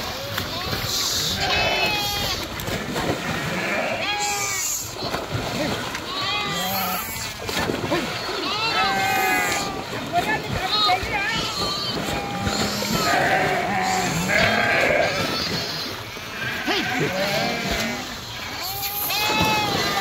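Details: Sheep in the Krishna river, swimming as a group, keep up a chorus of tremulous bleats rising and falling throughout, mingled with splashing and rushing water.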